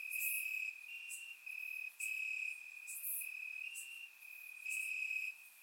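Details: Night chorus of crickets in grass, warm summer evening, Bulgaria, surround microphone: a sustained piercing trill in uneven louder blocks lasting about half a second to a second, with occasional higher bright chirps.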